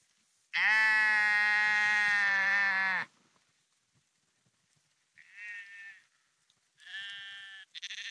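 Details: Sheep walking along the Porrenkoogdeich dike near Husum, Nordfriesland: one long loud harmonic bleat of about two and a half seconds, then two shorter, higher, quieter bleats from other animals.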